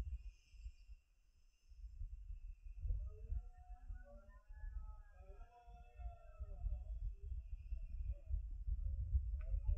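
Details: Red deer roaring during the rut (berrea) in the Sierra de Andújar at 5 pm on 10 September 2024: a low, hoarse, drawn-out bellow with layered tones swells midway, over steady high insect-like buzzing and rumbling low background noise.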